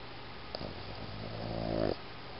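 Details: Iggy, a Boston Terrier dog, snoring indoors: one drawn-out, droning breath lasting over a second. It rises steadily in pitch and grows louder before cutting off abruptly. A steady low hum runs underneath.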